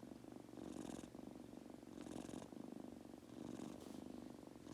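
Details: Domestic Munchkin kitten named Goku drifting off to sleep, purring continuously; the low vibrating drone swells and fades in slow breath cycles, with airy breathing hisses roughly every second and a half.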